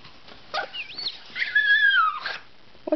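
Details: A puppy whimpers while begging for greens, giving a whiny, wavering cry that rises and falls and then a long descending whine, indoors with a quiet background.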